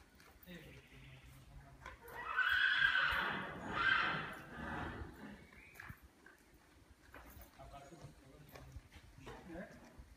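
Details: A cobra (team) of black mares moving in complete freedom; one mare gives a loud, drawn-out whinny lasting about three seconds and rising and falling in strength, with human speech and hoof clip-clops around it.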